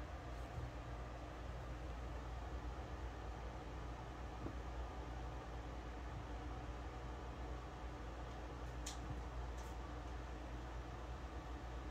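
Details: Low indoor hum and fan-like noise run throughout, with a couple of faint short clicks near the end and no audible animal calls.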